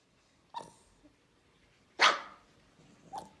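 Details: Central Asian Shepherd puppy, described as a guardian, giving three short sharp barks spaced about a second apart, the middle one loudest, in an otherwise quiet setting.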